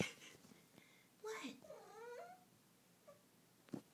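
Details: A domestic cat makes weird noises indoors: a sharp burst, then a wavering, rising and falling harmonic trill lasting about a second, followed by a faint short chirp and a soft click.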